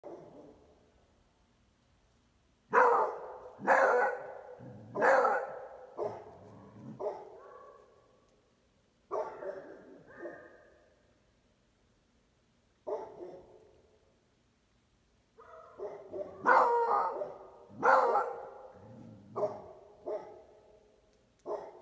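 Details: Beagle-Basset Hound mix; bark; barking at strangers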